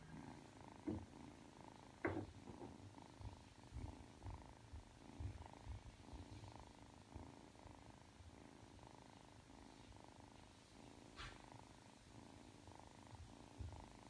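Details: Purring from a three-month-old Ragdoll kitten that kneads before falling asleep. Soft, low pulsing rumble runs throughout, broken by a few brief clicks and rustles, including a sharper one near the start and a faint high scrape later.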